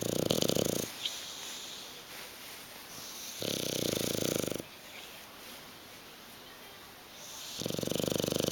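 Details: Hugo the bulldog sleeps on the sofa and will not get up, producing three harsh, buzzing snores spaced about three seconds apart, each a steady rattling breath of around one second, in a quiet room.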